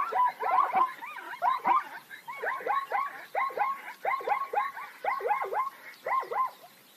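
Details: Plains zebras in nature: a chorus of rising-and-falling yelping barks in uneven clusters, about one per second, several animals calling over one another.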